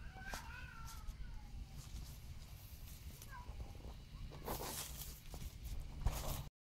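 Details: A female serval in captivity purrs in the morning. She has come running to her keeper for interaction, rubbing and headbutting before rolling on fresh straw. A steady low rumbling purr runs throughout, with faint chirps in the background and rustling near the end.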